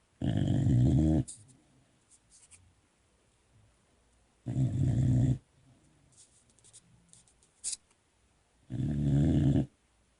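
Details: A sleepy Boxer puppy snores indoors, giving three deep, buzzy snores about a second each, at a slow, slightly uneven pace of one every four seconds, with faint clicks and rustles in between.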